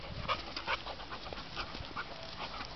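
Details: A one-year-old male Labrador Retriever awaiting a new home pants in quick, breathy bursts, roughly two or three per second, soft and close. Faint room noise sits underneath.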